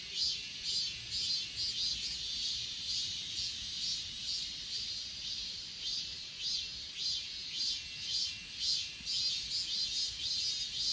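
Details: Grass insects calling on Achasan, filmed with an S20 Ultra: high, buzzy continuous chorus with pulsing chirps near twice a second, dipping slightly mid-way before resuming.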